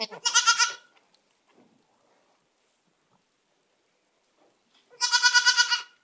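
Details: Baby goats kept with their mothers in a pen: two loud, tremulous bleats, one at the start and one near the end, with near silence and faint shuffling between.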